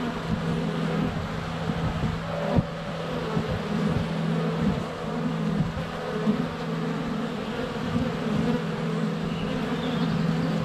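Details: Honey bees buzzing at the hive entrance during sunny February weather, recorded with a GoPro Hero 7 Black under a foot away; a low, even drone with soft knocks of bees touching the camera and a faint bird chirp late.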